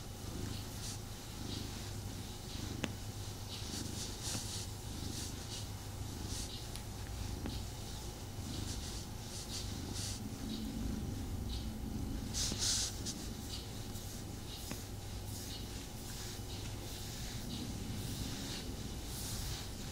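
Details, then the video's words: Domestic tomcat purring as it cuddles with its owner. Low, even purr sustained for the whole stretch, with frequent light rustles and scratchy contact sounds over the top. "Cat Snuggle Kuddle | Purring"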